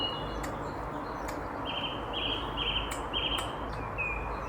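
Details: A squirrel hiccuping after freaking out at someone gives four buzzy, evenly spaced notes about half a second apart, then a thinner final note, over constant outdoor background noise.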